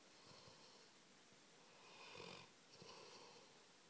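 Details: Harvey, a pet Labrador Retriever, sleeps indoors and snores: soft rasping breaths swell into a louder, breathy snore near the middle, then a second rougher snore follows, over a quiet room hush.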